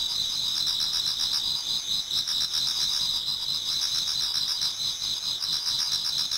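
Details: Toward dawn in autumn, numerous insects sing together in a Japanese garden, producing a sustained piercing trill overlaid with quick rhythmic chirps repeating several times a second.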